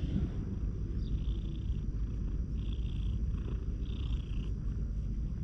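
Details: Hoarse-voiced stray cat that has come up close and is being patted on the lower back, filmed on a GoPro HERO8; a steady low rumbling purr runs throughout, with three brief faint higher tones near one, two and a half and four seconds.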